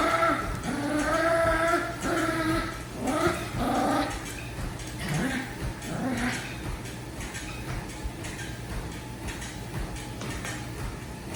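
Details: Dog vocalizing during a game of tug: drawn-out, tonal, moaning growls in the first four seconds, then quieter rough grumbles fading out, with low steady hum beneath.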